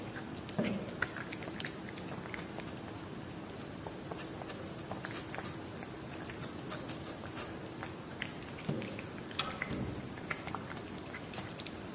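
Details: Domestic cat eating Whiskas salmon food indoors: soft, irregular crunching and wet chewing clicks in a steady stream, with a few louder bites near the start and a faint low hum underneath.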